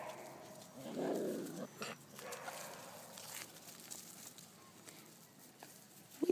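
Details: Male puppies whimper, a short full whine near the start followed by fainter squeaky whines, with rustling and handling noises throughout.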